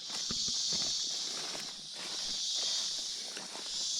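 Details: Cicadas give a loud, steady, high-pitched buzzing drone, very loud here, during a site-clearing walkthrough of a rural property some 75–100 m from the road in a dry spell with little rain, with footsteps and rustling close by.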